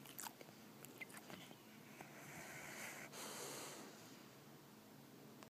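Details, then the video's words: Sleeping pit bull named Doja snoring loudly indoors: a long breathy, rasping draw of air swells over about two seconds, then eases off, with a few faint clicks and soft room noise around it. "Pitbull snores very loud"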